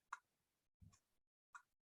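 Sperm whale clicks: sharp, broadband pulses spaced under a second apart, used to locate squid.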